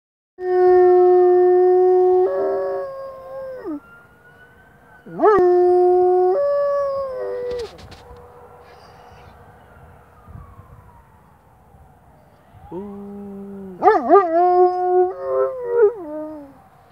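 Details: A Doberman named Nora howls in long, wavering tones that break and slide downward, answering a wailing emergency siren.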